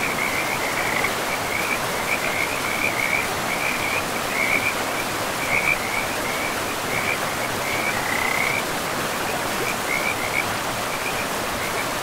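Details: Frogs calling beside a river in a forest, a steady run of short, shrill, trilling notes clustered at one high pitch, repeated without pause over a constant rushing hiss of flowing water.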